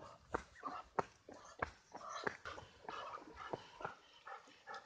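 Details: Golden Retriever named Maru on an outing walk to a valley stream near home in Korea; a run of short, repeated whimpering yelps about once a second, with a person's voice calling nearby.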